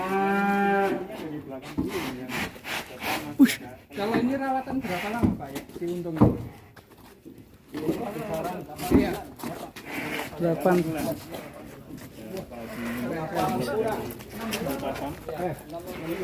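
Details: Cattle described as a concrete-necked bull raging in its pen at a farm in Kuningan, West Java, Indonesia; a deep harmonic moo opens the recording, followed by men talking, background music and rustling.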